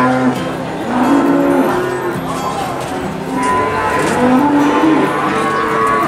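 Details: Cows at the Boyolali cattle market in Indonesia, a few short, low moos rising above a continuous murmur of people and market bustle.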